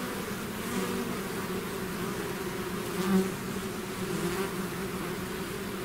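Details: Dense droning of a bee swarm outside its hive, steady hum with one bee passing loudly close by around the middle, then the even buzz continuing.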